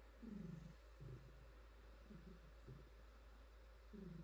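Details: Domestic cat, a female, purring while being petted and stretching: low rumbling pulses with a brief silent gap, each inhale-exhale cycle lasting about a second, soft and steady with a faint background hiss.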